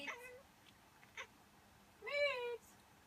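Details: Miez the cat answers sneezes with a strange reaction, here a short wavering cry, a few soft noisy bursts, then a clear drawn-out meow that rises slightly and falls away.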